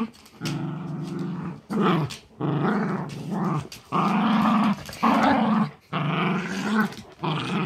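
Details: A chihuahua/terrier mix and a great pyrenees/lab mix grapple over their pink dragon toy in a playful tug of war. Deep, throaty growling comes in sustained stretches of one to two seconds, separated by short breaths.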